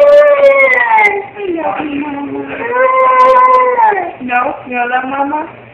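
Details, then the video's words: Silas, a pup, howling along with his mother: loud, long, wavering howls that slide up and fall away, overlapping voices with short breaks between phrases. "SILAS howling with momma"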